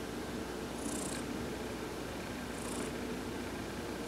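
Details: A massaged cat named Heidi enjoying a sun bath, recorded November 19, 2020, gives an even, deep purr with a slight buzz. Two short high-pitched tones ring out above the rumble.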